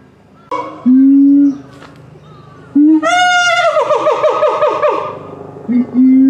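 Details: Gibbon at Higashiyama Zoo and Botanical Gardens, September 2023: loud pure hoots held steady, then a sharp rising note breaking into a rapid run of quavering, falling notes, before steady hoots return.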